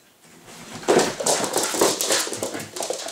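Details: Puppies play-fighting: Sasha, a Staffordshire bull terrier crossed with husky, and six-month-old Staffordshire bull terrier Schofield. There is a quiet start, then two short whiny yelps about a second apart over rapid scuffling noises.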